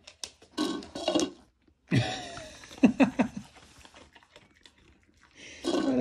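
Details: Ramsey, a husky, throws a mini tantrum after guessing wrong in the cup trick: a burst of short, wavering, grumbling yowls rising and falling in quick succession, with a person talking before and after and some rustling.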